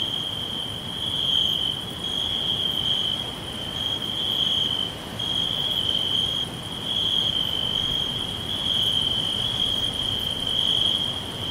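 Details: Crickets in a green forest, a steady unbroken high-pitched trill running through the whole stretch, swelling and easing slightly in loudness, with fainter pulsing higher tones above and a soft broad rustling hiss underneath.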